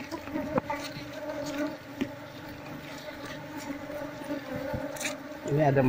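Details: Asian honey bees humming around their old nest in a traditional Seluma house as the comb is sliced and honey revealed during relocation. A softer steady drone continues, with a voice and louder noise at the end.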